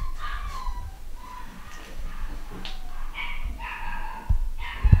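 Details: A pedigree Fox Terrier puppy, nine weeks old and from a home-bred litter, gives short, high yips and whines in uneven bursts, with low bumps and knocks indoors.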